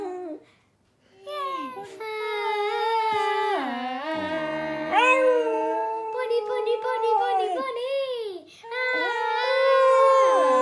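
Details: A cocker spaniel howls in long, wavering, rising and falling tones, singing along to the song "Ruby" by Kaiser Chiefs.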